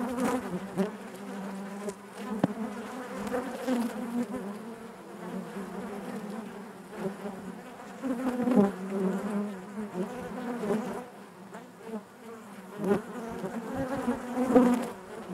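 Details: A hive full of honey bees gives a constant low drone, its pitch wavering slightly, with rising and falling intensity and scattered sharp ticks from movement inside.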